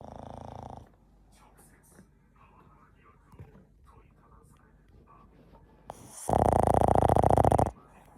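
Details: Chachamaru, a pet Boston Terrier, snoring loudly while sound asleep at home: one brief snore opens, a quiet stretch follows, then a long, very loud, rasping, rapidly pulsed snore lasts about a second and a half.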